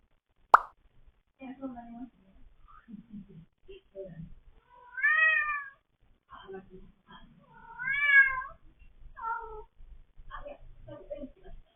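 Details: Cats indoors: a sharp click, then soft low chirrups and murmurs between two louder rising-falling meows, with a few brief mews trailing off.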